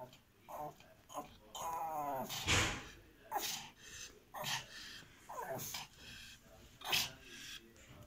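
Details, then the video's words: Pomeranian making short, wavering whines and yelping cries in bursts, with a rising and falling whimper near two seconds, mixed with broad noisy thumps and rustling. "Spitz di Pomerania"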